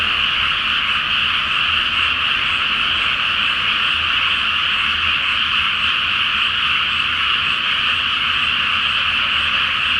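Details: Many frogs calling together at night from a water-filled rice field awaiting planting, full moon reflected on the surface. Steady, continuous rattling croaks from countless callers blend into one unbroken roar.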